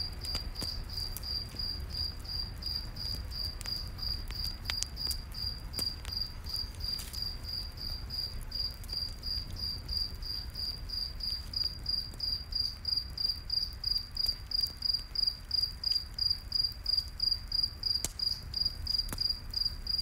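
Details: Night forest cricket chirping near a campfire, a high, even trill of short pulses running continuously, growing more distinctly pulsed toward the end, with occasional fire crackles and low rumble beneath.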